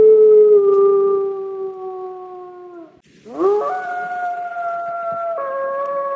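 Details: Adult gray wolf lonesome howls, used when a wolf tries to locate its pack: a long steady tone that sags slightly and fades, then a brief gap and a new howl rising sharply before holding level with a sudden pitch drop near the end.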